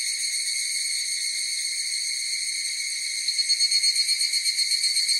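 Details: Higurashi cicada chorus as a steady high ringing drone; after about three seconds a louder caller joins with rapid rhythmic pulses over the background hum.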